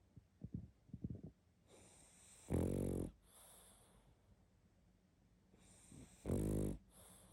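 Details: Loud snores from a sleeping pug: two heavy, buzzing inhalations roughly four seconds apart, each followed by a softer airy exhale, with faint snuffles at the start.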